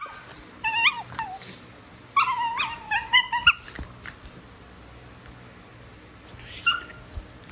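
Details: Wild-dog-style squealing from Prisca, a female Basenji acting tough: warbling, pitch-bending cries around the first four seconds, silence, then one more quavering squeal near the end.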